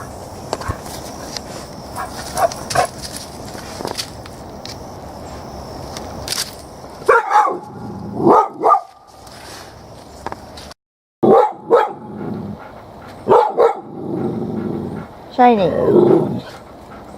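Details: A dog, upset and barking at a cicada shell behind the trees with its hackles up, gives short sharp barks in bursts near 500–1000, separated by pauses, while a person speaks to it in between; faint outdoor background noise.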